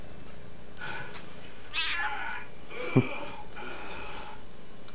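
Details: Domestic cat chattering before snack time: a series of three or four short, nasal meows spaced about a second apart, one sharper and louder, with a single click partway through.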